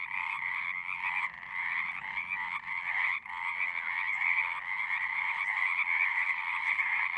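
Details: A frog chorus of overlapping, rapidly pulsed trilling croaks, mostly continuous with one brief dip near the middle, over a faint low hum.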